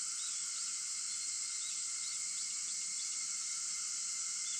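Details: Cicada voices at 4:50 am on August 4 form a steady, hissing, high drone, joined by a few quiet, brief bird chirps.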